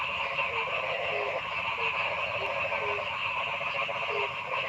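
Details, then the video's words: Noisy forest frog chorus, a thick continuous droning wall of calls with scattered short, low croaks popping out every half second or so. "Noisy Frog Sound in the Forest"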